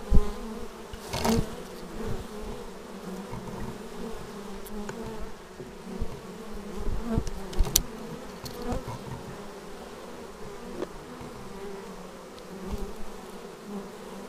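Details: Raw action-camera sound of bees arriving at a beehive: a long, low, steady hum of wingbeats with scattered brief louder buzzes as bees pass near, one early and several through the middle.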